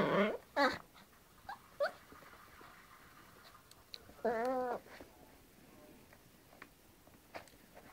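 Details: Yorkshire Terrier at play with a hairbrush indoors, giving a sharp rising yelp at the start, a couple of short squeaks, then a wavering, harmonic whine lasting about half a second, with quiet tapping between.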